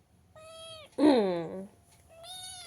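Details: Pet cat dressed in a sweater during cold weather gives three drawn-out meows, the middle one loudest, rising then falling, with short quiet gaps between them.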